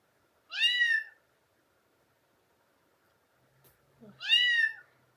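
A domestic cat gives two drawn-out, arching meows a few seconds apart.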